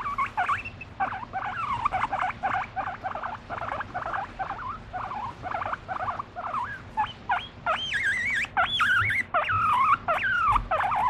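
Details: Pet guinea pig being affectionate with its owner, expressing emotion: a busy run of short squeaks and chirps, then from about eight seconds louder rising-and-falling whistled wheeks that wobble up and down in pitch.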